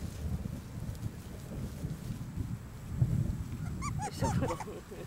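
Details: Maggie's puppies at five weeks old: after a stretch of low rumble, a quick run of high, rising-and-falling squealing yelps and whimpers comes in a tight burst near the end.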